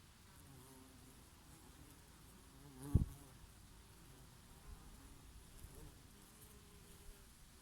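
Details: Summer bees grazing on their favourite oregano blossoms, with an occasional bumblebee: a continuous low buzzing hum with passing insects swelling and receding, one sharp knock about three seconds in, gentle breeze underneath.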